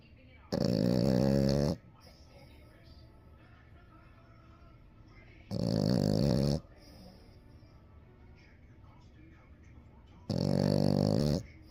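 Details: Seven-month-old French Bulldog puppy snoring while asleep indoors; three loud, rough rasping snores, each about a second long, roughly every four to five seconds, with a quiet room hum between them.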